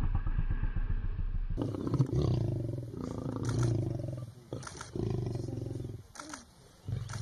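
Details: Hungry lions feeding at breakfast, giving deep, rumbling growls and grunts in pulsing bursts, with tearing and chewing sounds and faint human voices nearby.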